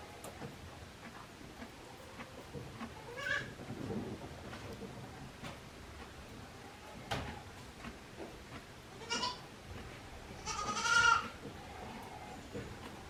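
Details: One-day-old baby goat kids at Yoshigake, a handmade goat farm, on 17 April 2024: a few short, quiet bleats come at intervals, the loudest and longest near the end, over a steady soft background hiss.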